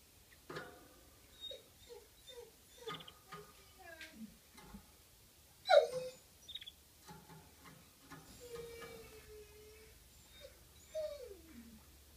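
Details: Coyote recorded April 25, 2015, giving a string of short rising and falling yips, then a sharp downward-sweeping cry, a long steady wavering howl and a final falling wail, all mid-pitched over a quiet background.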